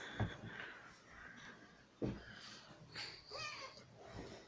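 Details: Jazz, a one-year-old female pet cat, at play and asking for petting indoors: a few short, breathy chirps and bending, harmonic mew-like trills spaced about a second apart, with soft breathing and room noise between them.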